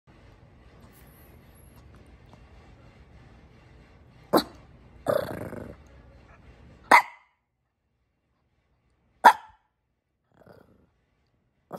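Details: A Labrador Retriever sitting in a stroller gives a few short, sharp barks spaced several seconds apart, with a brief scuffling noise between them and a quiet background.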